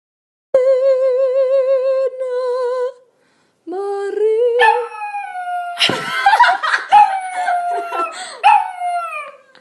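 A cocker spaniel howls in long, wavering tones, then breaks into higher yips and whines.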